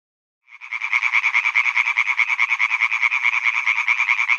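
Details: Male European tree frogs croak in a pond on Hyby Fælled, giving a fast, steady series of harsh, nasal croaks that runs on without a break.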